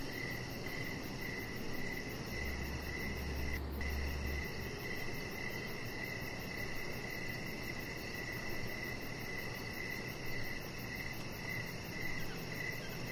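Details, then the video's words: Crickets in the evening by a deck with a chihuahua puppy lying out; high pulsed chirps continue steadily while a brief low hum appears early and a faint click cuts in once. "3 Hours Of Chihuahua Puppy Laying On Deck with Cricket Sounds"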